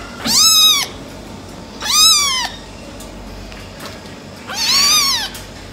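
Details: American Shorthair silver tabby kittens, brothers: three loud, clear meows, each a rising-then-falling whine lasting about half a second, spaced roughly two seconds apart, against a quiet background.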